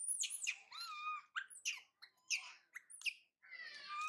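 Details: Young monkey Mila crying as her mother Malika leaves to find food and her brother Marto refuses to help. Shrill squeals and squawks sit between thin, sliding wails that rise and fall.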